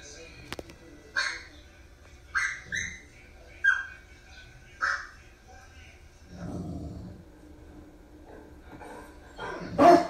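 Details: A Newfoundland–Basset Hound mix dog barks while watching YouTube: short, sharp barks at irregular intervals, with speech murmuring behind.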